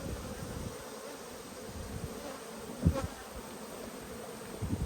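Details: Honey bees droning at an open hive while a beekeeper inspects frames on 19 March 2022; a steady low humming buzz fills the clip, with a short louder bump near the middle and another swell at the end.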